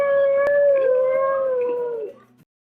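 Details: Domestic cat giving one long, level, wailing meow lasting about two seconds, then fading out, from a set of seven different kinds of kitten meowing.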